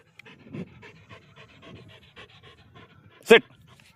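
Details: Belgian Malinois dog panting in quick, soft rhythmic breaths, about three per second, with one loud sharp clatter near the end.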